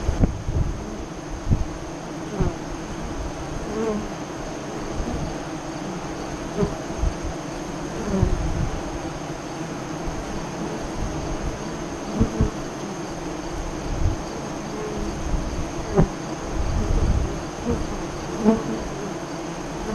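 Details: Honey bees buzzing at the entrance of a west-facing hive five miles east of Lyons, Nebraska, during the 2017 eclipse; a steady low hum with brief louder passes of individual bees flying close.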